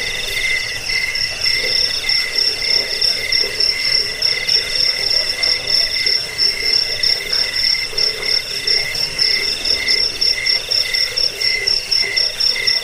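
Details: Chirping cricket (jangkik) in a recording meant for repelling rats, helping sleep and training birds. A dense shrill chorus of rapid pulsed chirps, about one per second, stacks at two pitches with steady hiss beneath.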